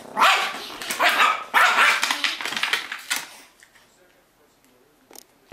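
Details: Playful Yorkshire Terrier, Titan, going after a cup: four or five loud, piercing yaps packed into the first three seconds, then near silence with a soft knock at the end.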